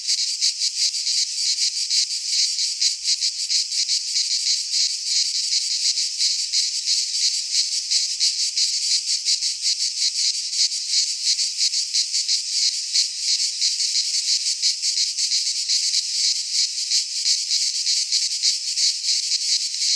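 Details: Greek pine-forest cicadas in midsummer, singing together as one loud shrill buzz that flutters rapidly without pause, a seamless wall of insect sound.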